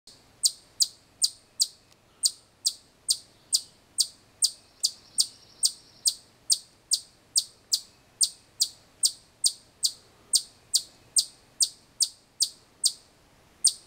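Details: Chipmunk giving loud, sharp, high chips that repeat steadily, roughly two per second, about thirty in a row with a brief pause near two seconds, against a quiet background.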